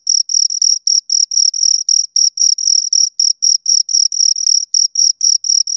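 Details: Crickets, two of them, producing loud shrill chirps in regular short bursts about four per second, a bright high tone with a faint upper overtone and silence between pulses.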